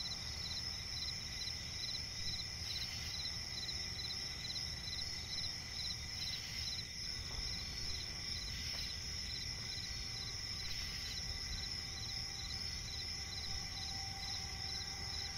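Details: Night chorus of crickets in a forest swamp, a continuous shrill whine overlaid with rapid rhythmic chirp pulses, broken now and then by a few short broadband clicks or rustles, over a steady low hum.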